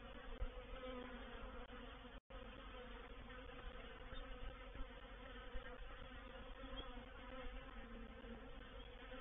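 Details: Reproductive swarm of honey bees settling into a swarm trap at Painted Peacock Manor, 04/07/21: thick, unbroken wing drone that stays level and low, cut by one brief silent gap partway through.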